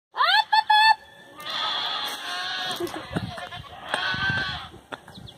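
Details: Farm goats answering when called for grain: brief quavering calls open, then two long, wavering, nasal bleats, the first lasting over a second, the second shorter, with scattered low knocks and rustling.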